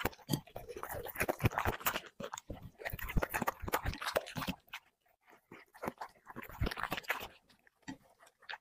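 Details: A dog eating plates of chicken with vegetables gives dense rapid crunching and chewing for about four seconds. This eases into slower, scattered bites and softer mouth sounds in a quiet indoor room.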